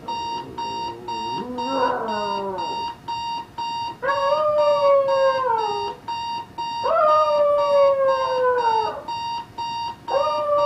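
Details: Pet dog Jax howls at the alarm clock going off next to the bed: long, sustained, slightly falling howls of about two seconds each, repeated, over continuous fast electronic beeping.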